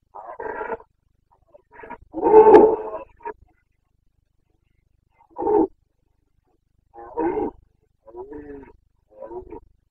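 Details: Bucovina Carpathian stag in the mid-September to mid-October rut, 2022: a scattered series of hoarse roars and grunts, one louder central bellow, then shorter, softer coughing calls spaced a second or two apart.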